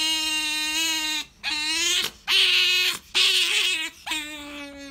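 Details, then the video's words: Pet otter Sakura, female, craving jerky, gives four long, shrill, harmonic squeals in quick succession with brief breaks. The tones are steady to gently bending, with some rougher, noisier cries in the middle. "カワウソさくら ジャーキーに対しての愛が止まらない！ A collection of the nonstop love of Sakura the otter for jerky!"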